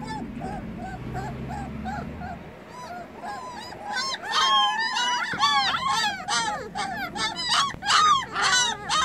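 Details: Several young puppies, eyes newly opened, calling for their absent mother; a low rumble at first, then overlapping high, arched yelps and whines, rising and falling, coming fast and irregular and growing louder.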